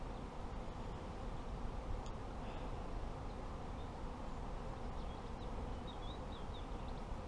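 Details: Continuous low droning of honey bees at an apiary kept by a beginner beekeeper, an even swarm-like hum throughout, with a few faint high bird chirps near the end.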